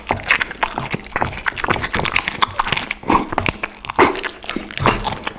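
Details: Pit bull dog chewing raw chicken, duck and cauliflower for lunch; sharp separate crunches and bone cracks about once a second, some wet smacking in between, a human voice briefly nearby.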